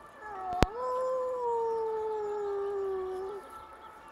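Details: Dog howling in duet with an ambulance siren: one long, smooth, sustained tone of nearly three seconds that holds steady then sinks slowly lower, opened by a sharp click, over quiet background hiss.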